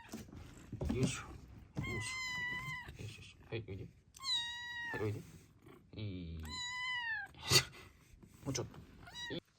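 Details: Tiny fostered rescue kitten, youngest of five siblings taken in from Gunma Prefecture in spring 2023 and growing slowly, giving a series of clear, high, drawn-out meows, some falling in pitch, while a woman softly coaxes it closer.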